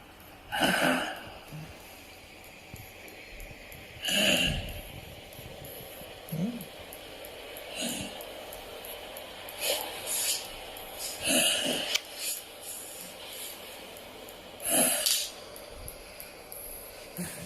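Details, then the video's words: Sleeping dog, not waking while its own snoring is played back to it: rough, breathy snorts come irregularly every few seconds, with low voices murmuring between them. "Will my dog wake up listening to his own snoring?"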